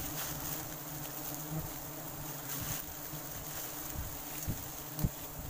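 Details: Wild forest honey bees during a sustainable harvest: a steady low droning hum under broad hiss, with a few soft thumps near the end.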